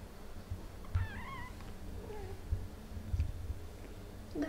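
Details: Domestic cat Ophelia, a mother, with her kittens Pixel, Garfield, Bianca and Caramel playing indoors; a few short high meows with harmonic stacks, one rising then falling, amid soft background rustle and bumps.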